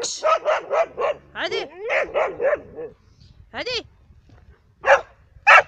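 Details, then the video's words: Labradors and a hunting dog in Cyprus in winter, barking in a rapid run of sharp, yelping barks with some rising whines, then a pause and a few single loud barks. "LABRADOR VS HUNTER'S DOG ЛАБРАДОРЫ И ОХОТНИЧЬЯ СОБАКА"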